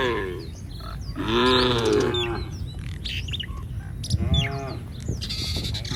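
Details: Village cattle in a herd wandering the street; two arched, nasal moos, one longer and one short, over background rumble and scattered high bird chirps.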